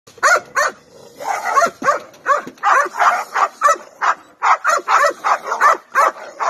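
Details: Cane Corso out for its first protection training session, barking in rapid, irregular bursts of sharp, harsh barks, several per second, with brief pauses between volleys.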